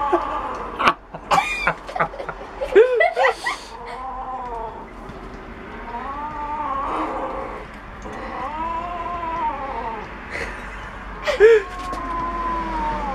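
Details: Domestic cat growling while eating bones: drawn-out, moaning wails that rise and fall, heard four times at irregular gaps, with sharp clicks and people's voices near the start.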